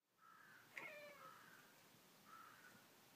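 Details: Pringles, a pet cat indoors, vocalizing at birds outside; drawn-out, harmonic mewing tones around mid pitch, a sharp brief squeak near the start, then a shorter second call after a pause, over quiet room hiss.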